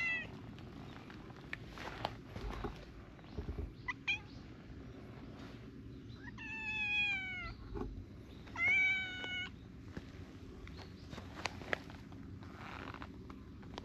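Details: Affectionate adult stray cats gathering around while a small tortoiseshell kitten is filmed outdoors; two long, clear harmonic meows near the middle, each falling slightly in pitch, with a shorter earlier mew, over a low steady rumble and light rustling.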